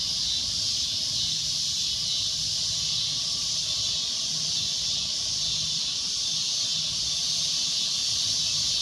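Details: Cicada giving a loud, shrill droning noise: one unbroken, high, hissing buzz that holds an even level for the whole stretch, with no pauses and only a faint low rumble beneath.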